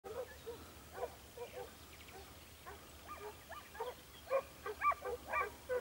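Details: Segugio Italiano hound Sofiko outdoors at Evros, Greece, on 12 June 2021, baying from a distance in short repeated yelps about twice a second, growing louder toward the end over a steady low rumble.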